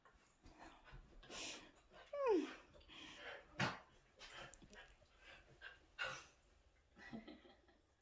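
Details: Poodle puppy indoors giving one clear, high whine that slides steeply downward about two seconds in, amid soft snuffling and breathy noises, while a person talks to it in a calm, coaxing voice.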